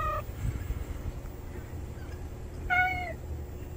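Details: House cat Juhwangi and stray cat Norangi moving in together: a brief clipped meow opens, then after a quiet pause comes a longer, clear meow that slides downward at the end, over low background hum.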